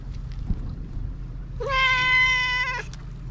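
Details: A black-and-white tuxedo cat met on a cat island in Japan, approaching while talking: one long, steady, clear meow of about a second, richly harmonic, after quiet seconds with low rumbling background noise.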